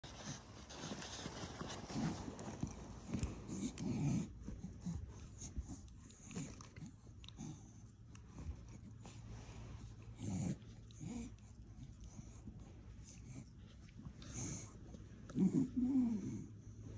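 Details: Two Staffordshire Bull Terriers getting to know each other snort, huff and wheeze in short, irregular bursts of low breathy noise.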